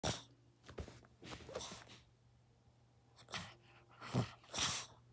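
A Pomeranian gives short, breathy, huffing barks in a quiet room to wake its owner.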